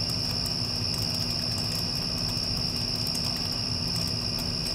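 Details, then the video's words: Crickets after a passing storm give a steady, high, unbroken trill. A low rumbling hum from an air conditioner runs underneath, with scattered faint ticks and clicks. "Cricket Sounds with Air Conditioner (After Passing Storm)"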